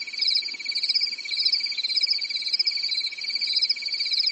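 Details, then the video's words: Night chorus of crickets on a quiet European summer night, a steady shrill pulsed trill with a lower ticking band and a wavering upper band, swelling and fading gently throughout. "Grillen zirpen in der Nacht"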